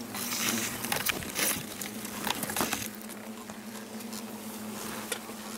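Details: Wild yellow hornets buzzing as they fly out of a huge nest hanging from a garden tree beside a paved path to a front door, Ono town, Fukushima, September 26, 2017; steady low buzzing hum under crackling, rustling clicks.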